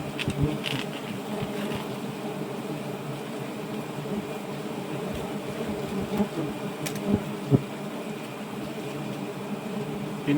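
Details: A swarm of giant honey bees around a nest during a honey harvest, heard as an even, continuous droning hum, low and layered, with scattered light taps and rustles over the top.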